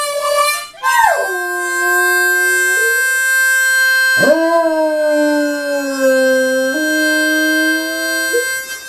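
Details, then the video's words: Great Dane puppy Rupert, aged five and a half months, howls along on first hearing a harmonica; two sliding, wavering howls rise and fall over sustained steady harmonica chords. "Great Dane Puppy Rupert - Accompanies Harmonica"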